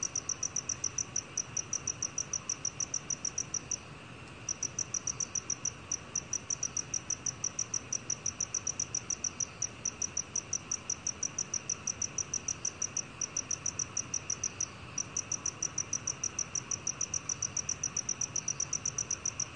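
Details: Black field cricket, recorded by Korea's National Institute of Biological Resources in 2020. It makes a steady train of high, crisp chirps, several per second, with brief breaks near four and fifteen seconds over a soft background hiss.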